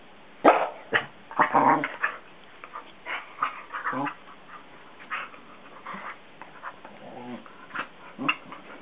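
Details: Two Basset Hounds playing indoors, a younger dog almost three pestering a nearly seven-year-old who has just woken on the couch and stays lying down; short gruff grumbles and bark-like huffs in irregular bursts, with a person talking.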